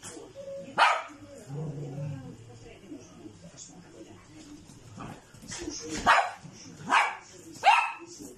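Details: Poodle puppies: short high yips and squeaky barks come in quick bursts, spaced about a second apart near the end, with a low human voice murmuring early on.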